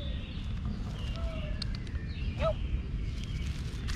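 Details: Loud purring from a male cat enjoying being petted: a continuous low, throbbing rumble, while thin whistled bird notes and a short chirp rise faintly above it.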